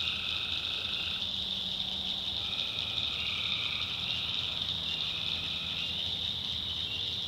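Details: Swamp at night in the North Carolina backwoods, tree frogs trilling without pause in a high, shimmering chorus; a lower call band starts and stops several times, and a faint low hum runs underneath.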